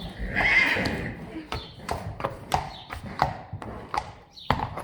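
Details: Friesian horse from a herd during a session measuring the horses' height. A short harsh whinny near the start, followed by a run of hoof and clip-clop knocks and Dutch speech.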